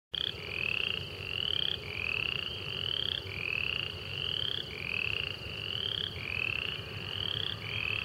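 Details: Upland chorus frogs in Liberty County, Florida, give short, rising, creaky trills, one after another in a dense overlapping chorus.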